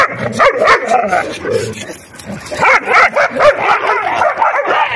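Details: Puppies in a ferocious play fight: a close, continuous tangle of throaty growls and high yelping squeals, rising and falling in quick bursts.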